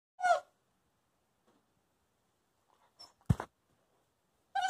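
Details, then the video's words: Coastal wolf puppy Covi, a young wolfdog, barks for treats while his owner tries to eat. Two short, harmonic, yelping barks open and close the clip, with a single sharp knock between them in an otherwise quiet room. "I don't have to ask him Speak or Bark anymore. He just do! Coastal Wolf Puppy"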